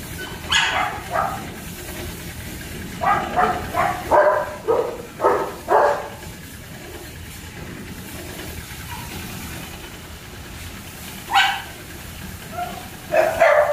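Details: German Shepherd pups kept at a kennel bark in scattered bursts: a single yap, then a rapid run of five or six barks, a pause, and a few more isolated barks near the end, with a steady low mechanical hum throughout.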